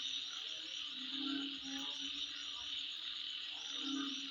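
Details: Midnight insect chorus, a continuous high-pitched shrill hum, with low croak-like notes repeating every second or two and faint high chirps above.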